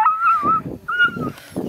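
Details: Small female Beagle at a hound kennel near Kingston, Ontario, Canada, trying to scare off a larger coonhound, gives two drawn-out high whining yelps with muffled rough bursts between and after.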